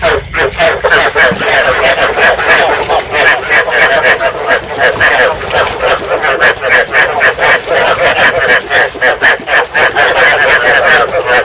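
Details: Field frogs calling in a dense chorus, a sound used to lure and trap frogs and to stimulate breeding; rapid, throaty, harmonic croaks overlap and repeat several times a second without pause.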